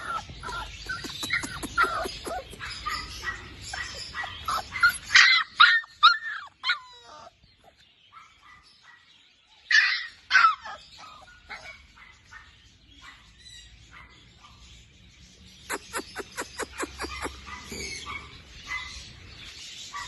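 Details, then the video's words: Labrador Retriever puppies giving bursts of high, squeaky yips and whimpers, loud clustered calls around five and ten seconds, a pause, then a fast run of repeated sharp yelps near the end. "Cutest Labrador Puppies"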